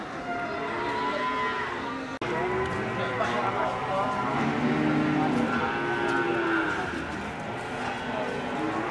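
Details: Cattle mooing at a busy livestock market in Ambarketawang, Gamping, Yogyakarta: many overlapping, wavering moos, some long and steady and others short and rising, under a steady wash of human voices and background noise.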